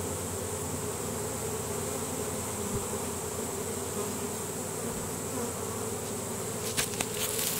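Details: A swarm of honey bees streaming into a new hive, with the queen already inside. A loud, even hum of countless wings fills the clip, and a few soft taps come near the end.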